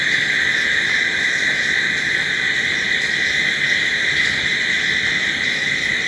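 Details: Nighttime crickets sustaining an even, high, ringing drone from many callers together, unchanging in loudness from start to finish.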